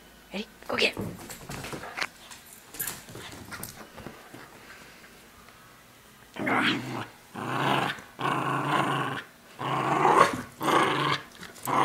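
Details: Tia, a Cairn, border and wheaten terrier mix, growls playfully while tugging a stuffed SpongeBob toy indoors, not aggressive; rough, noisy growl bursts come in a run of pulses in the second half after scattered speech and rustling.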